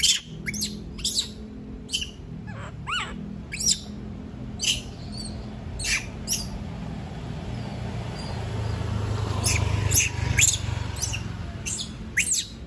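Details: Shrill, rapid squeals from a monkey protesting at being left alone, clustered densely at first, then thinning out, with a steady low rumble building underneath.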